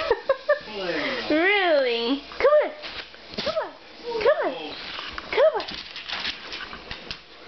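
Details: Demon, a pet Siberian Husky indoors, 'talking' back to his owner: a wavering, rising-and-falling yodel-like howl, then several short swooping whines in a row, with a man's coaxing voice mixed in.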